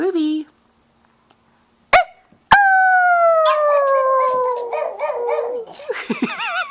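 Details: Howling pug, with a fluffy puppy present: after two sharp knocks, a long clear howl slides slowly downward, then breaks into choppy yelping and wavering cries. A woman talks softly around it.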